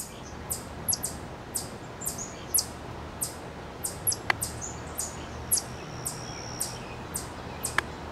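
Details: An eastern chipmunk (Tamias striatus) at Cornell University, Ithaca, New York, gives sharp, high chip calls, repeated about twice a second over a soft background hiss.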